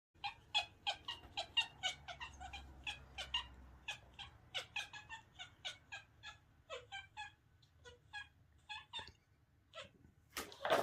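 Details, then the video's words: Kitten playing fetch, making funny noises: rapid runs of short, high, harmonic chirps and squeaks, several per second, with brief pauses and a quieter stretch near the end, in a quiet room. "adorable kitten playing fetch making funny noises"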